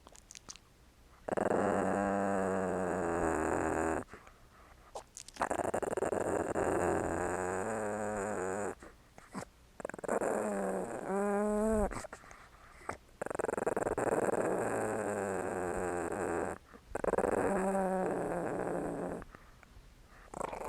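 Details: Small dog growling during playtime: sustained rough, harmonic-rich growls lasting two to three seconds each, separated by short silences, with a wavering, whine-like rising and falling passage near the middle.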